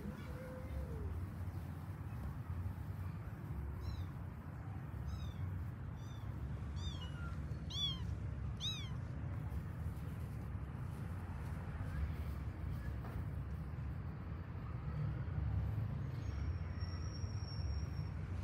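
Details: Kittens from a pet cat family searching for their mother cat give a cluster of faint, high, arching mews in quick succession midway through, against constant low background hum.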